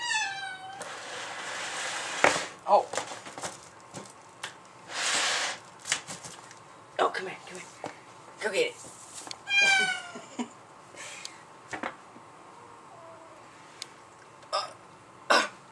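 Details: Black-and-white mother cat hostile toward her returned black kitten indoors; descending harmonic yowls near the start and around nine seconds, loud hissing bursts, scattered sharp spits, with human voices in between.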